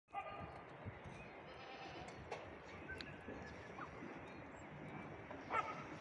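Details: Goat kids on rocks in Greece. A faint bleat sounds at the start, and another short bleat comes near the end. Between them is a steady low background rumble with scattered soft clicks and knocks.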